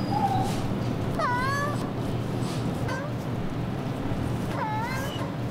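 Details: Ragdoll cat during a grooming session, kneading as it is handled; three drawn-out meows, each rising then falling in pitch, about two seconds apart, with a steady hiss of background noise throughout.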